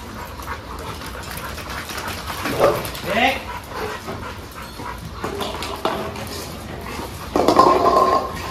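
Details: A dog at a dog training school gives short rising whining calls around the middle, with faint voices and background noise throughout.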